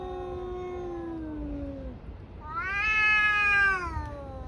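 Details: Tabby cats in a fight, caterwauling: a low sustained moan gliding slowly downward, then a louder rising howl rich in harmonics that swells and fades back to a lower wail.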